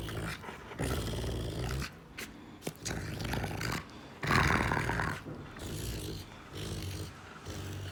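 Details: A female Rottweiler gives deep, rumbling growls in bursts, broken by short pauses, as if she might bite the owner's finger.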